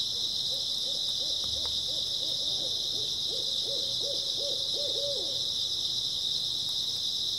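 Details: Unbroken high shimmering chirr of grass insects in an early autumn night, overlaid for about five seconds by a rapid series of low, looping, bouncing notes repeated several times per second.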